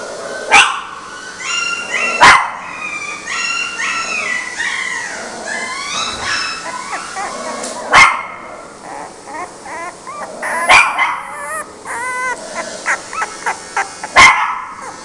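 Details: A female mixed-breed dog lets out several single sharp barks spread across the recording, while high, wavering whistle-like sounds, possibly whimpering, fill the gaps between them.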